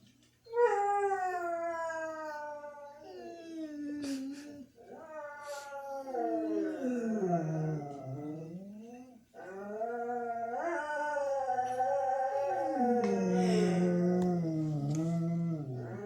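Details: Pet dogs at home howling while their owners were out at the store: long, wavering, strongly harmonic howls that slide up and down, with brief breaks and overlapping voices, indoors.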